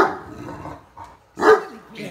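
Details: Great Dane Max in bed, talking back while his sister Katie is urged to get him up; a loud moaning bark swells in the middle, with a man's encouraging speech before and after.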